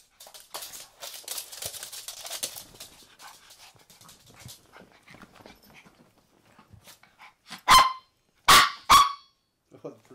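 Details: Maltese dogs that have taken over a bed indoors; soft human talk first, then three sharp, loud barks in quick succession near the end.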